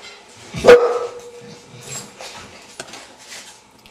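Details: Bull Terrier in training with a rock as a novel stimulus and carrot as reward, giving one loud, abrupt bark followed by a brief fading whine, with faint clicks and rustling in a quiet room.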